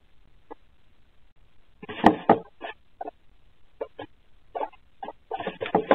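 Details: Pet guinea pigs in their indoor enclosure at night with the lights out, caught on a Ring night vision camera: short, scattered squeaky chirps, some single and some in quick bursts, with a louder cluster in the middle and more toward the end.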